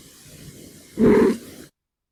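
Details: A male domestic cat, woken while resting, gives a short, low, raspy grunt as an acknowledgement.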